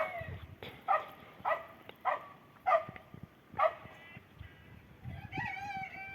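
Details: Cats taking shelter at a bus stop in cold weather give a run of six short harmonic mews about half a second apart, ending in a longer wavering tonal call, with low traffic rumble beneath.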